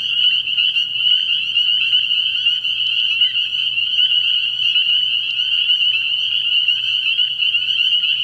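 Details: Spring peepers in full chorus at a frog pond on an early-year night: endless overlapping high, piping peeps forming a continuous shrill drone, with individual notes flickering above it.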